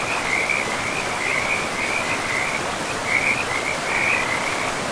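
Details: Frogs by a forest river give high, rattling pulsed bursts, each a second or so long, in close succession from start to end, with the steady rush of flowing water underneath.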